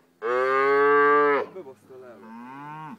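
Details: Cow, mother of a calf being rescued by farmers near Berzence, mooing live: a loud, long, even moo of over a second, a brief pause with small sounds, then a softer, lower second moo.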